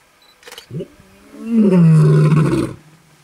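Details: A lion in Kruger National Park, South Africa, in August 2012 gives a deep, drawn-out roar that slides slowly downward while lions roar and mark territory.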